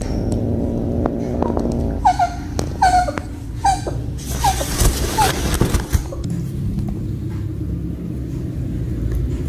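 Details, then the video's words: A cat named Miko meows while kittens play fight around a play tunnel with a hanging ball indoors. Short, chirpy mews rise and fall between two and five seconds, set over a steady low hum and soft household noise. "Cat meowing while kittens play fighting and joking"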